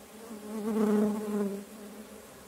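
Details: Kept stingless bees, several colonies in motion: a close, loud droning buzz that swells for about a second, then fades back to a softer steady hum.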